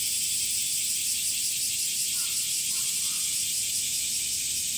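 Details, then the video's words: Summer chorus of male cicadas, whose tymbals are pulled in and out by small muscles: an unbroken, loud, shrill hiss holding level throughout, with faint soft chirps in the middle. "THE SOUNDS OF CICADAS ( semi goe ) THE SUMMER INSECT"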